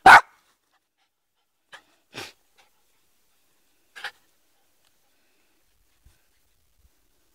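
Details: Poodle playing in the yard, one sharp loud bark at the start, then a few fainter short barks and huffs spaced about two seconds apart, otherwise quiet.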